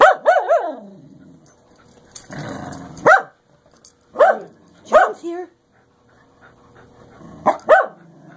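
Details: Two English Cocker Spaniels howl together in a duet of short, rising-and-falling yodelling bursts, with a person talking nearby.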